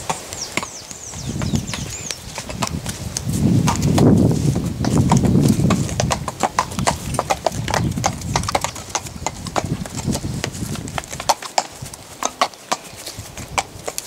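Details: Purebred Lusitano horses on a ride produce steady clip-clop hoofbeats at roughly three and a half per second, sharp irregular strikes over a low rumbling background with occasional chirping birds.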